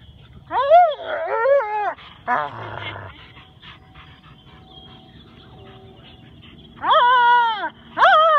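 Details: Max, a Husky/wolf mix, talks while playing with his Rottweiler best friend Tor, who stays silent: rising-and-falling whiny howl-like phrases in two bursts, a short rough growl between, then two more bowed yodels near the end.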